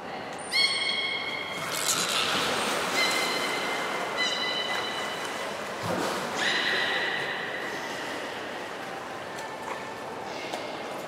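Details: Belugas at Port of Nagoya Public Aquarium during a pool transfer and play time, children's team, 5 November 2017: high harmonic whistles and squeals in short bursts over a noisy, hissing background.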